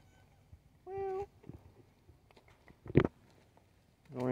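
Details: Darkness, a mustachioed black-and-white tuxedo shop cat described as wild, strolls in demanding food and attention. He gives a steady, even meow of about half a second, then a second meow starts at the end, amid a person's soft talk and a sharp knock.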